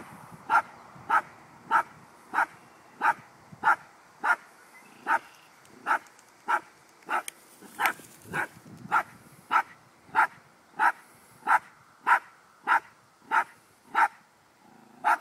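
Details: Cappy the dog keeps barking at a baby groundhog, unsure what to do with it. Steady, evenly spaced barks repeat roughly every half second, over twenty in a row, with a brief rougher, noisier patch midway.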